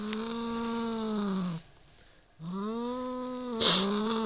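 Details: Siamese cat facing a rat toy utters two sustained, strained yowling growls, each slightly falling at the end, split by a short silence; a brief click sounds during the second.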